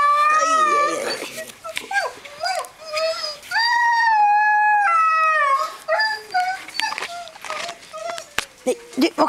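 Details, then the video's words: Greenland Dog puppies, seven weeks old, at playtime with three litters together in the kennel yard in June: drawn-out, wavering howl-like whines with rich overtones, long steady notes broken by shorter rising and falling yelps. "Grønlandshundvalper på Tinka's Kennel"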